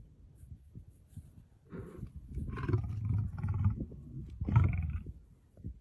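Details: Lion, shown with a lioness, sneezing: low rumbling breaths broken by three sharp, breathy bursts near the second, third and fifth seconds.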